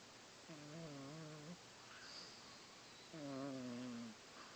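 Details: Sleeping pet cat giving loud, rattling snores, two long rasping breaths roughly a second apart in length, each with a wavering buzzy tone, in a quiet indoor room.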